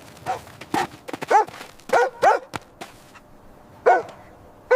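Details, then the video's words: Puppies at play on fresh green grass, running, jumping and play-fighting, giving short, sharp yipping barks in uneven bursts with brief quiet gaps between them. "Dog barking sounds"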